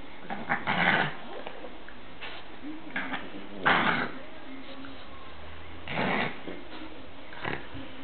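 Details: A Boston Terrier and an American Hairless Terrier play-fighting, as they do every day, give short rough growling bursts near one, four and six seconds, separated by quieter scuffling and low rumbling background noise.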